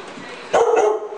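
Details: A dog in a standoff with another dog on the stairs gives a single short, harsh bark with a tonal, slightly falling tail, over a low steady background hum.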